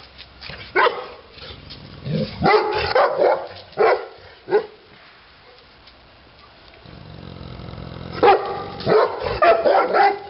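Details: Repeated deep barks from Titti, a Neapolitan Mastiff, in irregular runs, a pause with low background hum in the middle, then another burst of barking.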